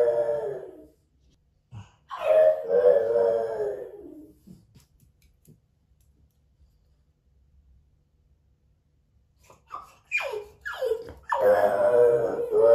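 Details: French Bulldog Moto-Moto, left alone at home with a Yorkshire Terrier and watched by hidden camera, gives drawn-out, wavering moaning howls: a short one at the start, a longer one soon after, then quick rising yelps leading into a final sustained howl in a quiet room.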